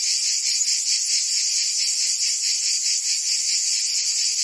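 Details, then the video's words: Cicadas singing in summer in Provence, France: a dense, unbroken high buzzing that pulses roughly twice a second, steady in loudness throughout, with no other animals or voices. "Cicadas singing in France (Provence)"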